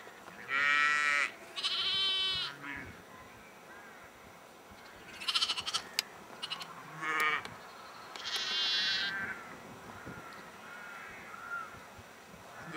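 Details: Sheep bleating at Egton in the North Riding of Yorkshire in April; several loud wavering bleats near the start and middle, with quieter bleats between and a faint background hiss.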